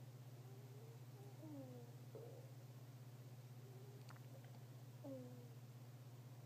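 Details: Fennec fox snoring in its sleep, very quiet: thin, squeaky whistled notes sliding downward in pitch, coming in small clusters about a second apart, over a steady low electrical hum.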